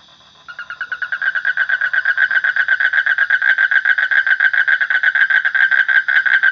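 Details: A frog calling in a continuous pulsed trill that starts after a brief pause and quickly swells in loudness, with roughly seven buzzy pulses per second held at a steady pitch until the end.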